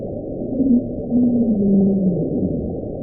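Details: Antarctic minke whale bio-duck sound, nicknamed for resembling duck quacking, first recorded at sea by submarines in 1960 and often off Australia in Perth Canyon, heard winter to October, made near the surface before deep dives: low, rough, droning pulses with wavering tones.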